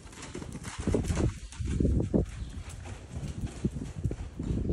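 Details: Buckskin Quarter Horse filly, two years old, worked on the lunge; heavy, muffled hoof strikes fall in a steady rolling rhythm, a thud roughly every half second, against a background of outdoor noise.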